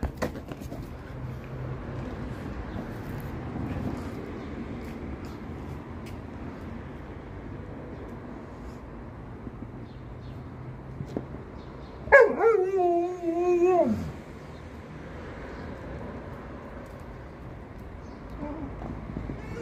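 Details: Alaskan Malamute Liza telling off Monti, an Australian Shepherd puppy, for touching her basketball; a two-second wavering, harmonic, whining grumble that rises and falls midway, over steady low rumbling background noise.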